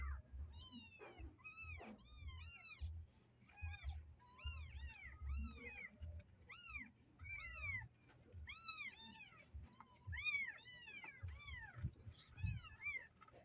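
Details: A group of caged kittens that want to escape give rapid, high, pitch-bending meows, many overlapping in quick runs, with soft bumps and a low hum behind them.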